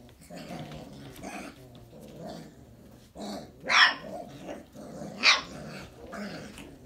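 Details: Briard puppies, 4.5 weeks old, making low, rough grumbling growls in short bursts, broken by two sharp, louder yelps a second or so apart in the middle of the recording.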